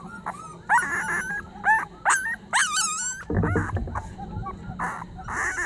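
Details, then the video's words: Young puppy crying sorrowfully as if pleading for help: high, wavering whimpers and yelps that rise then fall, several in quick succession over the first three seconds, then softer drawn-out whines over low rustling. "새끼 강아지 살려 달라고 서럽게 우는 소리"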